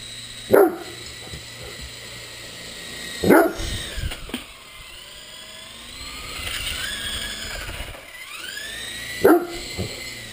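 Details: Great Dane at play with an RC helicopter barks three times, each bark a short deep burst spaced several seconds apart, while the toy's whining rotor rises and falls between them.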